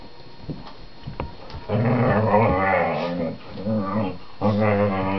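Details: A whippet playing with his 4-month-old sister on their sofa keeps up a long, growly, warbling grumble that rises and falls for over three seconds, preceded by soft scuffling sounds.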